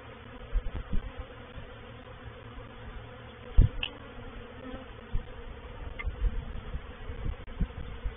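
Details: Honey bee reproductive swarm entering a bait hive, or swarm trap, at Painted Peacock Manor, April 2021; low continuous droning hum broken by loud close fly-by buzzes and a few sharp knocks.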